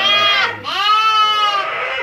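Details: Santa Inês lambs bleating: two loud, strongly harmonic, quavering bleats back to back, the second longer and slightly rising then steady, filling the whole moment with little background noise.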